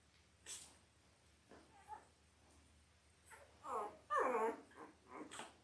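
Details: Five-day-old Labrador Retriever puppies, part of an eight-pup Christmas litter born October 15, 2023, to Belle: a few faint squeaks, then a loud wavering whine near the end with stacked harmonics, in a quiet indoor room.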